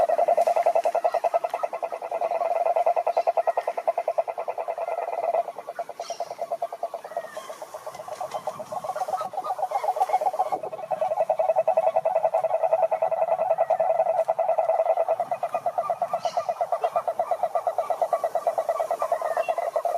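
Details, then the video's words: Many frogs singing together in a pond, natural setting: a steady, rapid pulsed croaking chorus at mid pitch, pausing and resuming, with faint higher chirps and occasional rustling in the background. "Sapos Cantando na Lagoa"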